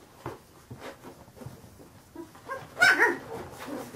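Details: Fifteen-day-old Carolina Dog puppies: faint rustling, then a short loud high whine or yelp near the end, followed by a person murmuring.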